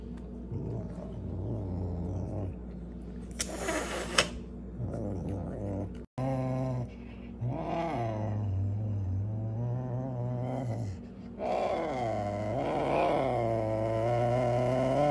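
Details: Serval asking for food with repeated low, tonal moaning roars, some wavering and rising in pitch, broken by a loud rustling burst and short pauses.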